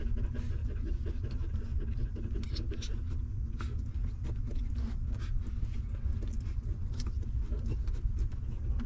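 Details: Hungry newborn puppies of a stray mother dog suckling milk: a steady run of soft wet clicks and smacks over a constant low rumble.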